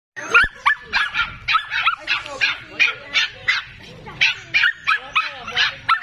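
Pomeranian dogs barking in quick, high-pitched yaps, about three each second.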